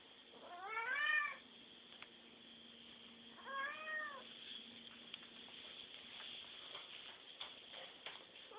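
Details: A domestic cat called 跳跳 asks for food with two arched, tonal meows about two and a half seconds apart, over a steady background hum and faint clicks.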